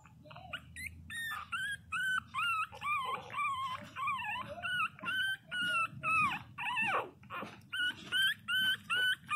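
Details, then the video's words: Pinscher puppies, 22 days old, crying loudly: rapid series of high, wavering whimpers that rise and fall, repeated several times a second, with a person speaking briefly at the start. "Filhotes de pinscher beby cute de 22 dias chorando alto"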